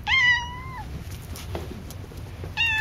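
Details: Indoors, the chatty house cat Cassidy lets out a long, even meow, pauses for about two seconds of soft room noise, then starts another loud meow.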